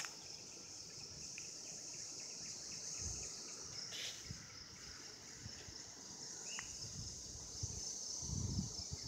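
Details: Cicadas recorded in 2016, calling during mating: a steady, high-pitched continuous buzzing drone that holds unbroken throughout, over low rumbling background noise, with one brief sharp chirp near the end.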